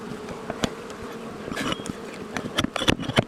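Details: Angry honey bee colony removed from inside a house wall at dusk: continuous droning buzz with scattered sharp taps and clatter from tools near the end.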